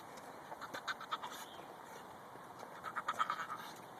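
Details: A female Pekingese makes quick, snuffling nasal grunts in two short bursts, her weird sounds when excited.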